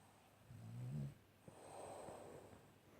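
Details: Nike, a French Bulldog, gives a single low, rattling snort followed by a softer, drawn-out rasping exhale while dozing indoors, all within about three seconds.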